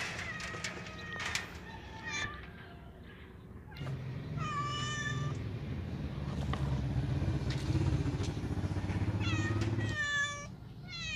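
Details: House cat asking to be let outside, giving short bright meows early on and two clearer drawn-out cries later, partly masked by a loud rumbling engine-like noise through the middle.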